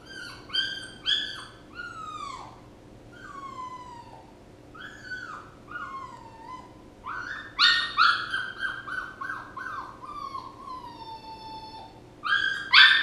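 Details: Puppy whining: high, drawn-out whimpers that slide downward, broken by bursts of quick yelping cries, with pauses between phrases and a faint steady hum beneath.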